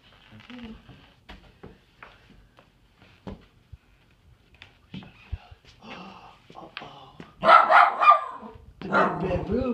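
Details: Doug, a pet dog, barks indoors while his toys are being put away, which he dislikes; soft scattered noises give way to a few loud harsh barks near the end, with a person talking to him throughout.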